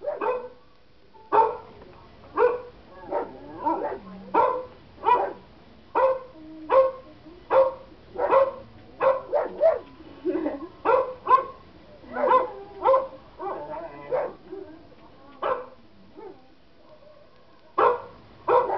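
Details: German Shepherd kept as a pet, barking at played recordings of dogs barking; a fast, nearly continuous run of deep, punchy barks, some doubled, with a short lull near the end.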